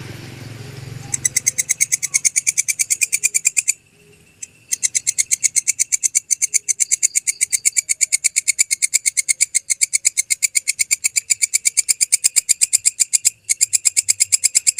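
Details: Original belalang kecek grasshopper recording used to tutor songbirds: after a second of low rumble, bright high rasping pulses repeat nearly three times a second, interrupted by a brief silence, then continue steadily.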